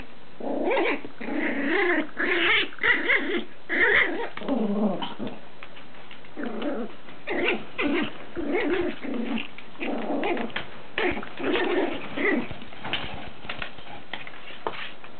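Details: Chihuahua puppy named Lacey growling while playing with her toys indoors: a run of rough, rumbling growls in uneven bursts, rising and falling through most of the stretch, with brief pauses between spells.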